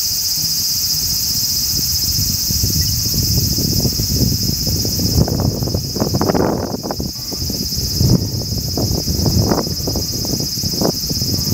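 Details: Large brown cicada singing a steady, sizzling high-pitched buzz that runs without a break, partly masked by loud low thumps and rustling bursts from handling or movement near the recorder.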